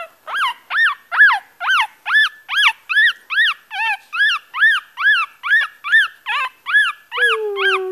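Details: Yorkshire Terrier puppy crying: a steady run of about sixteen high, arching whines, each rising then falling, repeated roughly twice per second with bright overtones, in a quiet indoor setting.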